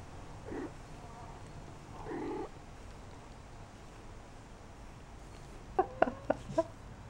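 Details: Shaded golden Persian kittens, four weeks old, out and about in their corral; two short, soft mews about two seconds apart, then a quick cluster of sharper clipped squeaks near the end over low room hiss.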